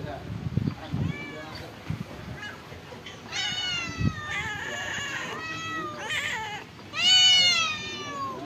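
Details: Hungry stray cats at a pagoda, given rice and fish, calling with loud, drawn-out meows that bend up then down, growing stronger toward the end, after a few soft thumps and brief voices.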